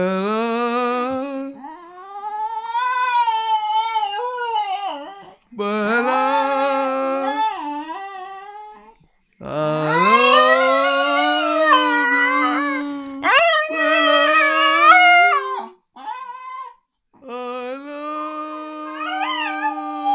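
A Cocker Spaniel howls in long, wavering tones, sliding up and down as if singing.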